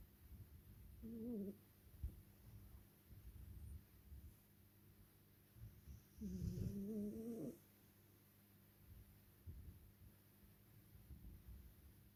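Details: Napping tuxedo cat snoring softly: two drawn-out, wavering tonal snores, one short and one about a second long, separated by several seconds of quiet breathing-like rustle.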